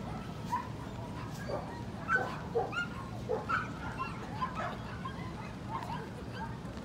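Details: Corgi, a male, at a dog show, the FCI Chubu International, during Best of Breed judging on 3 March 2019; several short, faint barks and yips scattered over a steady crowd murmur with voices in a large hall.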